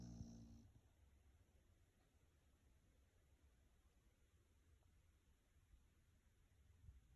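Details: Red and white Beagle, aged two years four months, sleeping and dreaming indoors; faint, low, steady snoring rumbles throughout, with a brief tonal sound at the very beginning.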